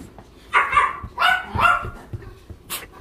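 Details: Dog at a centre in Ulsan, South Korea, visited by weekend volunteers, giving three drawn-out, whining barks in quick succession, followed by a short high burst of noise.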